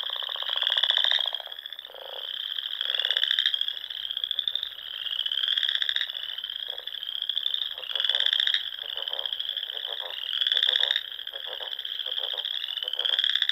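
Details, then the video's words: Frogs chorusing at dusk in spring among ponds of the Nebraska Sandhills; a dense, high trilling drone with overlapping pulsed calls that swell and fade every couple of seconds. "RELAXING SOUNDS OF FROGS"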